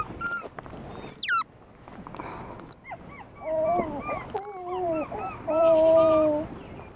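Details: While eating a sugar-free almond cake, Gemma, a female weeper capuchin, makes a series of short wavering whistles that build into a longer steady whine, mixed with soft chirps and small noises.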